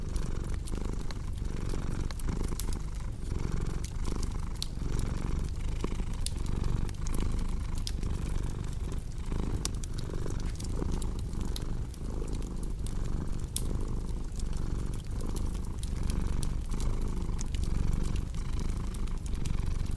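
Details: Domestic cat purring steadily, a low rumbling purr pulsing in even in-and-out cycles well under a second apart, layered over constant crackling and popping from a cozy fireplace.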